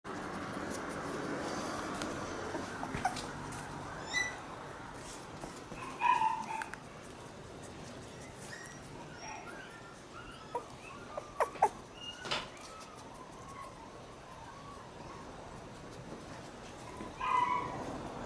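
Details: Two black Shiba Inu puppy brothers born on August 18, outdoors for their first time, giving short high whines and yelps scattered through a quiet stretch with background noise and soft rustling.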